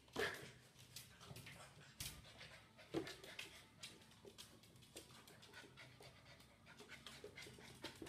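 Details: Golden Retriever puppy playing with its reflection in a mirror; soft, quick breathy panting in irregular bursts, with a few sharper clicks and knocks scattered through.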